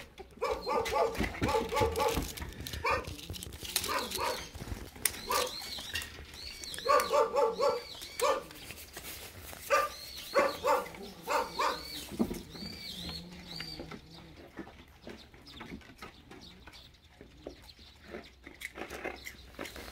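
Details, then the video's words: Jindo dogs Geumdong and his daughter Janggeum wait by the door for snacks in a rural Korean village, giving repeated short harmonic whimpers and yelps in bursts, with thin high squeaky notes in between and rustling throughout. "문밖에서 간식 기다리는 진돗개 부녀 금동이와 장금이"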